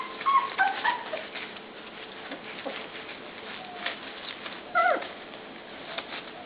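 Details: Puppies in a pen at dinnertime give brief high whimpering yips, a cluster near the start and another about five seconds in, over steady rustling and scratching from the pen.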